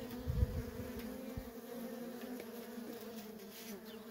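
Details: Worker honey bees at a wild, feral colony producing an even, continuous buzzing drone, a close bee passing loudly at the start, then a steady hum with soft rustling.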